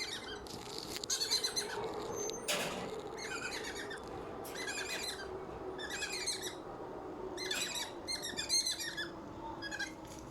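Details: A squirrel in Malaysia gives bursts of high, squeaky chattering, repeated every couple of seconds.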